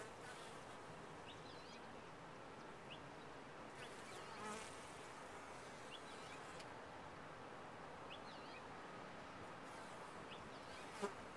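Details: Honey bees humming in a top-bar hive: a continuous low droning buzz, slightly swelling in places, with faint brief scratchy sounds and a small click near the close.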